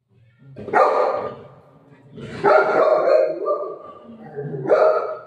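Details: Golden Retriever family dog playing with its mom at home gives three loud, rough barks spaced about two seconds apart, each a short noisy burst; a woman talks in Marathi between them.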